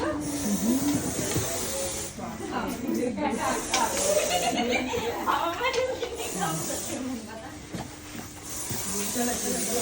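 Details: Russell's viper, a venomous snake in India found climbing a corner inside a house and being rescued after a dog provoked it: loud breathy hisses in bursts of about a second or more, separated by pauses, over people talking and background music.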